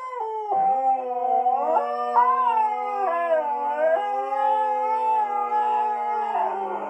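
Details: Pet Siberian Husky pair singing together in very low voices; one steady deep howl held beneath a second voice that bends and wobbles above it, continuous for the whole stretch.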